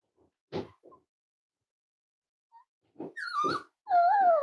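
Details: Young Cavalier King Charles Spaniel puppy, five weeks old, indoors: a few soft grunts, then a thin whine sliding downward, ending in a longer, high, wavering cry.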